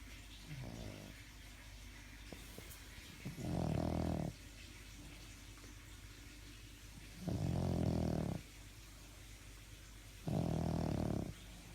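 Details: Sleeping dog snoring: low, rasping snores each lasting about a second, repeated every three to four seconds, with quiet breathing in between; a faint steady room hum underneath.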